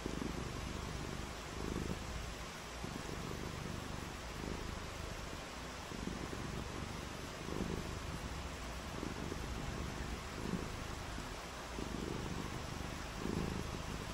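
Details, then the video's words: Cats playing in the rain on a rainy day, purring: low rumbling pulses in phrases of about a second, repeating every one to two seconds, under a steady broadband hiss throughout. "RAINY DAY WITH FUN AND PURRING"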